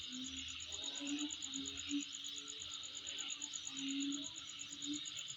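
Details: Insect calling at night: a steady, finely pulsed high trill runs throughout over a dense buzzing chorus, with low wavering hums rising and fading underneath.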